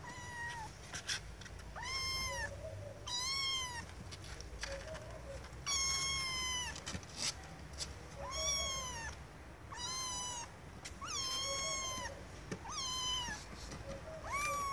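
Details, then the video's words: Little kittens meowing for attention from their owners: a steady run of about a dozen rising-then-falling high meows, roughly one every second or so, with softer low mews tucked between them. "Little Kittens Meowing Compilation"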